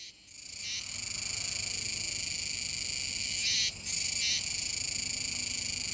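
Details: Kuroiwa's cicadas chorus near the Komegawa river mouth, Nishinoomote, Tanegashima, Japan, on 7 September 2022, in a dense, continuous high buzzing drone with brief louder surges.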